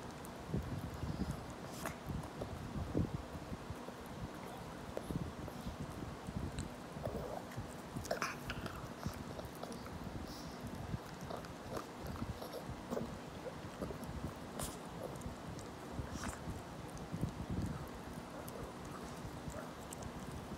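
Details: A 17-year-old senior dog gnaws a rabbit-ear treat, with crunchy biting and irregular chewing clicks throughout over a steady low indoor hum.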